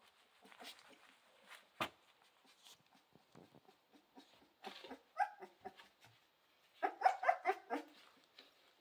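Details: Central Asian Shepherd Dog puppies wanting to play indoors: scattered soft yips and grunts, a sharp knock, then a quick burst of several high, rapid yelping barks near the end.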